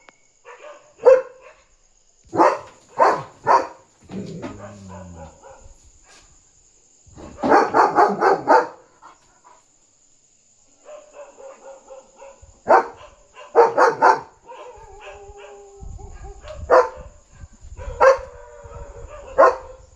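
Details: German Shepherd on night guard duty, excited and jumping around while barking to alert that a dog is outside; irregular clusters of sharp barks with a dense burst in the middle, softer whimpering tones between, and a steady high-pitched whine in the background.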